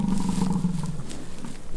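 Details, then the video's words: Rutting American bison at Peace River Ranch near Fort St. John, British Columbia, Canada, in a fight: one low, steady roaring bellow lasting about a second, then fading rumble. "BISON FIGHT IT OUT IN RUTTING SEASON."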